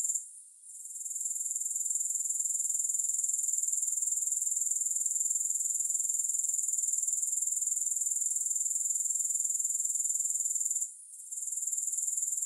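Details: Grasshoppers, offered without music for sleep and focus, keep up a continuous high-pitched buzzing trill of rapid regular pulses, broken by two brief dips in volume near the start and near the end.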